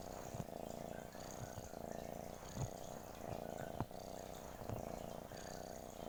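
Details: Cat purr running throughout as an even, low vibrating drone, broken by faint soft taps or clicks every second or so.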